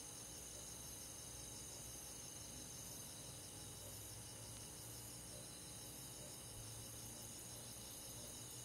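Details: Summer-night chorus of crickets and forest insects in the countryside: dense, continuous high trilling bands with rapid pulsing in the upper layer, at an even, gentle level, over a quiet low background hum.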